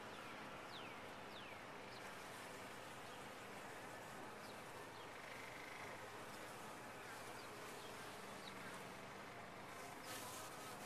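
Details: Bees inside a top-bar hive make a dense, steady droning hum with a low buzzing tone running throughout, while faint high chirps sweep over the colony's noise.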